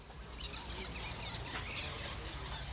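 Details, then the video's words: A large bat colony at a temple, said by a guide to hold a million bats, fills the air with a dense, shrill chatter of high squeaks. "Listen to that. You can hear the bats already."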